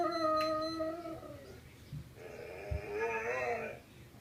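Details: A vizsla in a played video howls in drawn-out, tuneful notes that sag slightly in pitch and then waver, while pups listen.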